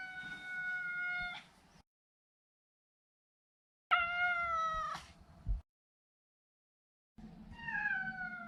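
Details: Neutered male Maine Coon house cat giving three drawn-out meows, each about a second and a half, the later ones bending downward in pitch at the end, separated by quiet pauses.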